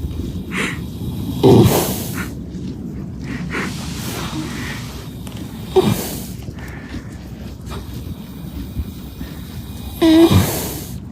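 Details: Horse asleep and snoring, giving short noisy breaths and snorts at irregular intervals of one to four seconds, the loudest near the end, against a constant low rumble.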